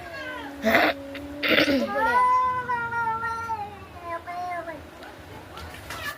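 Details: Cats in a fight: two sharp noisy bursts and a person's voice, then long wavering yowls that slowly drift downward and fade.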